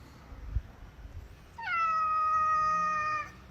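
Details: Domestic cat giving one long, steady meow lasting over a second, slightly falling at the start then held level, after quiet room noise with faint human voices.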